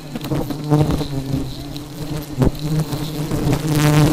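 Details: Aggressive honey bees buzzing as a steady low droning hum with stacked overtones, swelling louder toward the end, with sharp knocks and clicks from handling.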